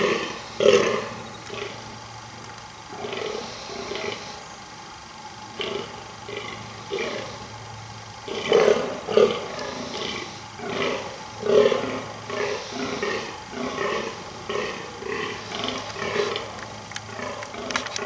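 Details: Rutting male fallow deer groaning almost non-stop to impress females: short, rough, belching bursts repeated roughly every second, some louder and closer, with brief gaps between runs.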